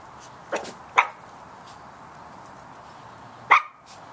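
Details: Chihuahua puppies yapping at a large cat, three quick high barks, two close together near the start and one more after a long quiet gap, over steady low background hiss.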